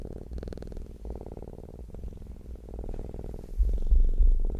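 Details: Contented domestic cat purring, a deep rhythmic hum broken into pulses of about a second each as the breath alternates, growing louder toward the end.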